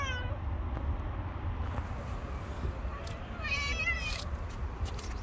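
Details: Hungry homeless black cat with a companion, strays living on the street, meowing: a drawn-out falling meow at the start, then a second wavering, strongly harmonic meow midway, over a constant low traffic rumble.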